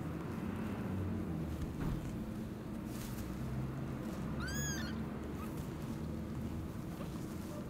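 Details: One loud, arching mew from a newborn kitten calling out from an old warehouse where rubble blocked the door, heard in the evening above a dull, steady low-frequency rumble.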